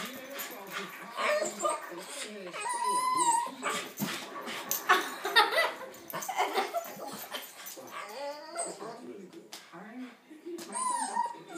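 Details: A Boston Terrier in a living room, annoyed by a yellow balloon it wants to get rid of and pop, gives high, wavering whines and short barks while people talk nearby.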